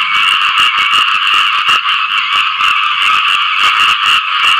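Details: Frogs call for mates after rain in a dense, continuous chorus of buzzy, overlapping croaks. Fast rapid pulses run steadily throughout, with no other clear sounds.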